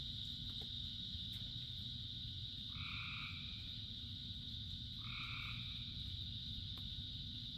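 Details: Thousands of frogs singing in the rain; a pair of brief, clear harmonic croaks spaced roughly two seconds apart stands out from a continuous shrill chorus, while heavy rain hisses and rumbles low throughout.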